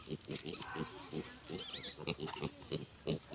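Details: Native pig on a newly started pig farm, giving short, low, rapid grunts at about one and a half per second in an uneven rhythm, with a few squeakier higher notes and a steady high hiss behind.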